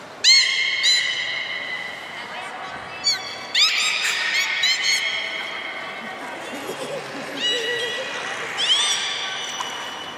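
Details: Port of Nagoya Public Aquarium beluga whale, 3 February 2019, during fish feeding and play time: rapid series of rising harmonic whistles and chirps, bunched in bursts, with quieter murmuring squeaks in the middle.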